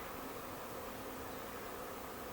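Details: Swarming bees, thousands strong, gathering in a backyard bush in Huntington Beach, a yearly visit for four years running: an unbroken, grainy humming drone of many wings at once.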